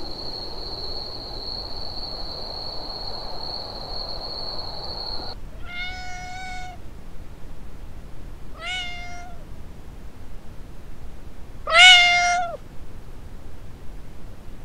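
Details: Three separate meows from a Siamese cat, the last one louder and more strained, after a few seconds with only a steady high-pitched whine.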